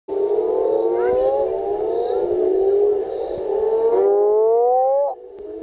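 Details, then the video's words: Mexican burrowing toad (Rhinophrynus dorsalis, Sapo Borracho) calling on 4 June at the El Duende ravine, Indio Desnudo trail, Santa Rosa sector of ACG: a long, low, moaning rising call lasting about five seconds, with a steady high electrical whine behind it. "Rhinophrynus dorsali - Sapo Borracho cantando."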